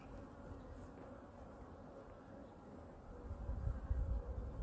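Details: Honey bee colony in hive #2, opened for a weekly winter inspection and feeding: a soft, even droning hum that swells into louder, rougher low rumbling near the end.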